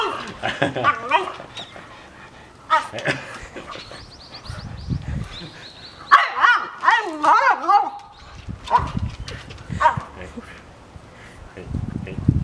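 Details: Pet French Bulldogs at home, competing for a visiting younger brother, make bursts of wavering, bending whines and grumbles, with a thin high squeak partway through, interspersed with human talking and quiet pauses.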